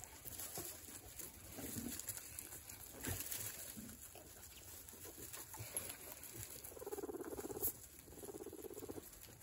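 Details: Guinea pigs eating, with scattered crunchy, ticking chewing clicks throughout and a pair of soft, buzzy, low murmuring bursts late on, each lasting about a second, over a faint steady background hum.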